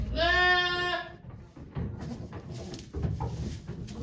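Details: Bleating goat at Yoshigake Farm on 3 May 2023, heard as the nanny goat Okayu delivers two kids before a crowd of volunteers; one strong, quavering bleat lasting about a second, then low background noise and faint murmurs.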